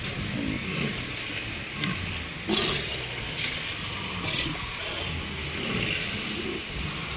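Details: Round Island walrus herd at dawn on a live camera: scattered low, growling roars and guttural grunts rise from a crowded haul-out over constant roaring surf, with one brief louder bark near the middle.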